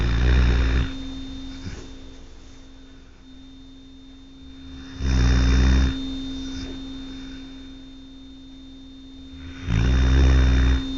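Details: Pet dog Tucker snoring while sleeping at night: three deep, rumbling snores, each about a second long, returning roughly every five seconds, with a steady electrical hum underneath.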